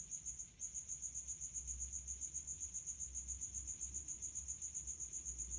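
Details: A male house cricket chirps in high heat, amplified by its resonant hiding spot: sharp, high, rapidly repeated pulses about four a second, briefly faltering near the start, then steady; soft background hum.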